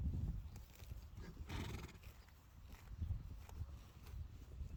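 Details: Friesian horses among a group of one- and two-year-olds, where the colt Rinse Janko is playing and bullying Rising Star and Sanne; a brief, breathy whinny bursts out near mid-clip over low rumbling and shuffling hoof sounds.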